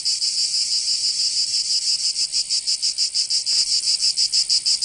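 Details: Summer cicada chorus from Provence in the south of France, a shrill sizzling drone throbbing in quick, slightly uneven pulses, steady throughout with nothing else audible.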